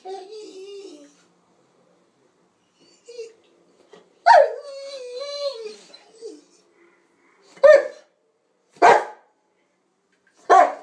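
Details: Presa Canario / Rottweiler cross dog, young female, 'talking' about food: a long wavering howl-like moan with harmonics, then several short loud barks spaced about a second apart, with a brief human voice early on.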